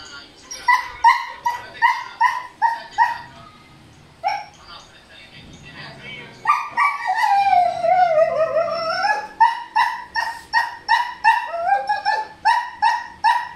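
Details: Noisy male Siberian Husky, worked up because a female is in heat: rapid series of strained whine-yelps, a long wavering howl that dips and rises, then more clipped whiny yelps repeated about three per second.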